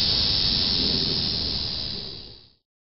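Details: An annual cicada gives a steady, hissing buzz that holds even, then fades and stops: the first annual cicada call heard that year, on a summer day, July 18, 2008.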